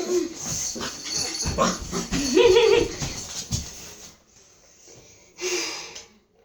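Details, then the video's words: Domestic dog arguing back at its owner with a rising, tonal whining moan near the middle, mixed with breathy sounds and human voice, then a short quieter gap and a final burst. "this is how I and my dog are arguing!"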